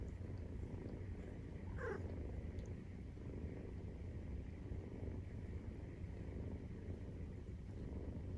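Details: Maine Coon nursing scene with kittens 43 days old: constant low purring throughout, and one brief high squeak near the two-second mark.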